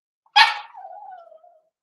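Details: During a socialization session at a breeder's puppy pen, where Cavalier King Charles Spaniel puppies meet the kennel's larger dogs. A single sharp yelp trails off into a thin, falling whine lasting about a second.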